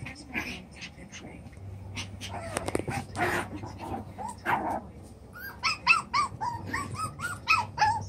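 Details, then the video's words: Seven-week-old chocolate brown Toy Poodle puppies playing in their newly enlarged pen: shuffling and scuffling noise at first, then a quick run of high, sharp yips repeated several times a second near the end. "Chocolate brown Toy Poodles 7 wks old"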